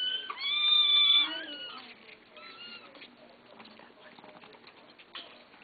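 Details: Kittens begging for food indoors; a loud, high, wavering meow with bright harmonics opens, followed by a few shorter, quieter mews and faint rustling.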